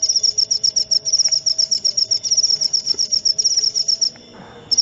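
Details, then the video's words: Continuous shrill cricket chirping in quick regular pulses, roughly four each second, breaking off briefly near the end and then starting again, with a soft low murmur underneath. "Suara Jangkrik"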